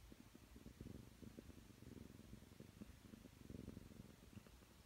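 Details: A nine-month-old Ragdoll cat named Aki purrs contentedly while kneading, settled on a bed beside a lying person. It is a continuous low throbbing rumble, louder in bursts, with faint rustling nearby.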